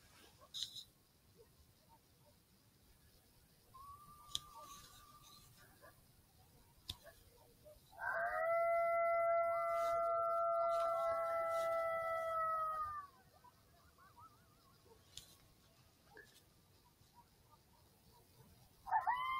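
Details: Several coyotes in Southwest Wisconsin answer an electronic call with a chorus of overlapping howls. Stacked, steady tonal voices hold for about five seconds, and a few brief howls come before and after. The night is quiet apart from faint clicks.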